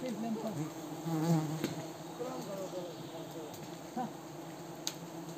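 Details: Swarming Himalayan cliff bees during honey harvesting by villagers at Wui village. A loud low hum with wavering, swooping tones as individual bees pass close, and a sharp knock near the end.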